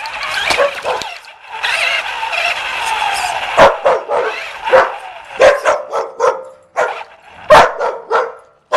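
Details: Puppy chasing a remote-control car: a whirring electric motor hum fills the first seconds, then come short, sharp, high yips and barks in quick irregular bursts, some closely doubled, over continued motor whine.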